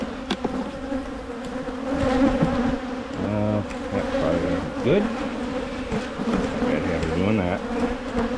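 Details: Steady hum of a honey bee colony as Michigan hives are split ahead of swarming season. Short human voice fragments appear over the constant buzzing drone.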